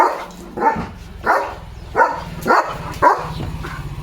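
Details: Pet German Shepherd named Leo giving five spaced, harsh barks about half a second apart over a steady low mechanical hum.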